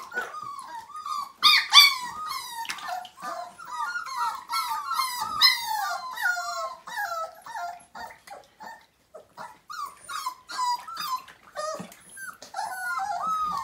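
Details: Five-week-old Siberian Husky puppies from a litter of nine whine during their first bath: rapid, high, wavering whimpers with rising and falling pitch, several per second, broken by brief splashy noises and a short quiet gap.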